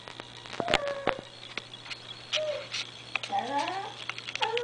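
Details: Diva, a pet dog missing a grandson, howls indoors after hearing him on a computer: short wavering tonal whines that glide and slide downward, mixed with sharp clicks and taps in a small room.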